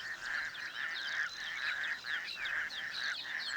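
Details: Raucous toads in an African city wetland chorus while breeding, females laying eggs in the shallows as males fertilize them externally; dense overlapping rasping trills pulse continuously, with higher chirping notes scattered above.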